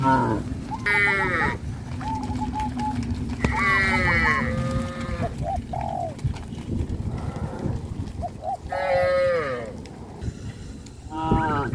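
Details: A herd of cows walking toward green grass fields on a traditional village farm gives several loud, bellowing moos of varying pitch spread across the clip, over steady low background rumble and occasional short bird notes.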